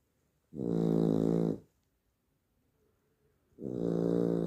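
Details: Sleeping Labrador Retriever puppy at night giving two long, raspy, humming snores about three seconds apart, separated by near silence in a quiet room.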